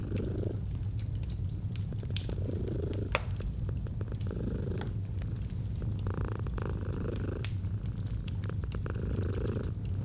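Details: Domestic cat purring in a cozy autumn setting beside a fireplace: a steady, deep, rumbling low drone throughout, with faint crackles and soft mid-range rustles layered over it.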